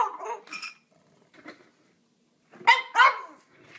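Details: Pet dog named Pixie barking at dinner time, earlier than normal, indoors: a few sharp harmonic barks, two loud ones close together near the end, with quieter yelps before.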